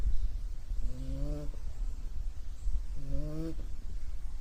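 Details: Puppy asleep and snoring, giving two reedy, whistling inhalations that rise in pitch, spaced about two seconds apart, with a heavy low rumble beneath.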